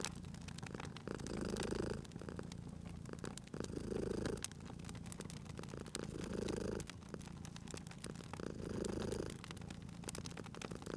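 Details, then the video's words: Domestic cat asleep by a fireplace gives a steady low purr, rising and falling in regular cycles about every two to two and a half seconds, over a constant bed of crackling, popping fire. "Cute Purring Cat at a Crackling Fireplace"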